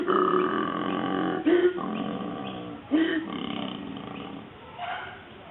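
A koala gives a deep, rasping, grunting call in rough bursts, like a snore mixed with a belch.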